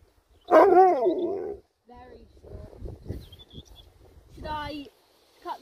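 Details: Sherpa, a pet Alaskan Malamute, lets out a loud, wavering, howl-like woo of about a second, its pitch bending up and down, followed by quieter household voices and another short harmonic call near the end.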